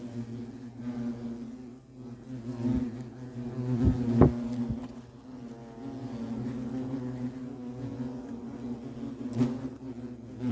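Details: Low, steady droning of European hornets (Vespa crabro) around their nest, overlapping buzzes rising and falling, with a few sharp clicks or taps near the middle.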